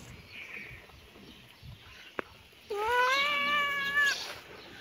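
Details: Cat playing with a kitten outdoors in a yard: after a sharp click and quiet background, one long, loud, drawn-out meow lasting about a second and a half, rising slightly and then falling away.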